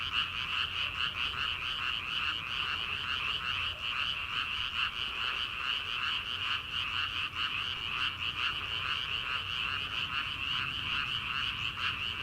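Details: Chorus of frogs in rice fields at the start of summer, before transplanting. Fast rhythmic croaks, around two or more each second, pulse over a continuous shimmering trill from many callers.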